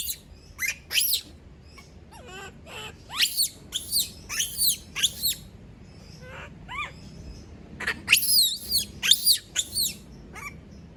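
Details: Screams of a monkey, female, when left alone by everyone: irregular bursts of high, harmonic shrieks, a quieter spell midway with softer wavering calls, then a dense cluster of loud screams near the end.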